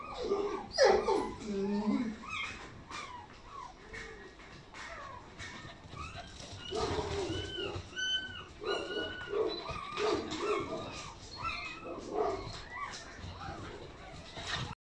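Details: Chinese Red Dog from Laizhou making a run of nasal whines and short yips, rising-falling arcs repeated quickly and unevenly, with a louder squealing burst near the start and soft background noise.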